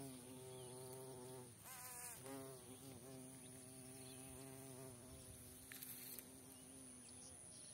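A carpenter bee's deep, steady wing buzz, droning low and shifting slightly in pitch as it moves.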